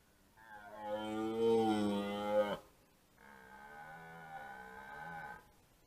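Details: A fourteen-point red deer stag roaring for hinds during the 2024 rut: a loud, deep, rasping bellow lasting about two seconds, then a softer, steady drawn-out roar of about two and a half seconds, in a quiet setting.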